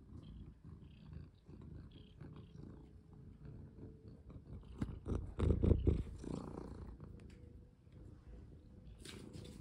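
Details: Domestic cat purring loudly while being played with and handled; a fast, even low rumble of rapid pulses that swells to its loudest midway, with rustling fabric and brief touches.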